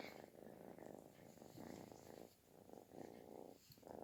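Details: A kitten seeks affection with a purr loud as snoring, coming in distinct throbbing bursts separated by quiet gaps, with some soft hiss above.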